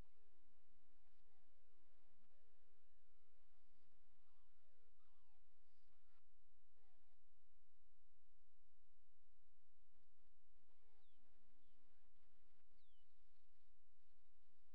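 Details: Young male coyote pups, now able to walk and open their eyes, give many overlapping squeaky, wavering whines and yelps, some rising and falling in quick loops, over a steady background hiss.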